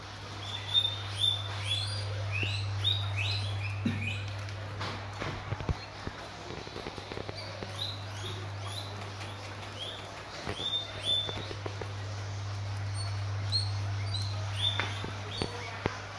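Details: Guinea pigs eating guava: short, bright squeaks repeat quickly in loose bursts, some rising and falling, with a steady low hum underneath and brief human voices and handling noises.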